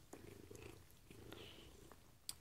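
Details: Pet Maine coon, female, indoors being fed treats: soft low purring with a faint clicky sound, then one thin rising chirp midway and a sharp tick at the end.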